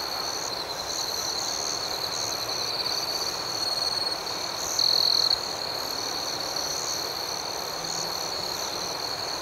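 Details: Crickets at night, a steady high-pitched ringing chorus with faster pulsing chirps layered above it and one louder, brighter chirp burst near the middle; no other sounds stand out.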